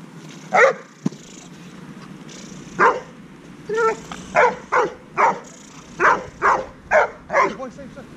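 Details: A 10-month-old Dobermann named Heusty, in a session with a dog trainer, barks about ten times: one lone bark, a pause, then a steady run of punchy barks roughly every half second, with a low hum behind.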